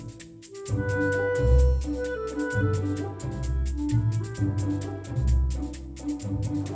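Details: Lively instrumental music with clarinet, bass and percussion plays throughout, with no animal sounds.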